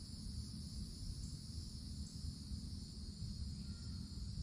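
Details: Summer cicadas in treetops of the woods, producing a continuous shrill hiss that holds level without pause, with a deep rumbling background noise underneath.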